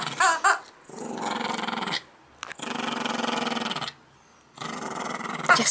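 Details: Yorkie-schnauzer mix Max growls during morning playtime indoors, holding long, harsh, rumbling growls of one to two seconds each, three in a row with short pauses, opening with a couple of brief high yelps.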